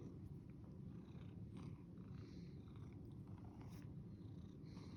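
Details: Domestic cat purring: a steady, low rumbling drone that runs unbroken through the whole stretch, with faint soft rustles above it.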